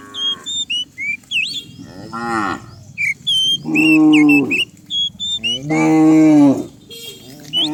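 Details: Cows by the dozen driven downhill on a rural morning give three loud moos, one short and two long and steady, separated by quieter gaps full of sharp, repeated bird chirps.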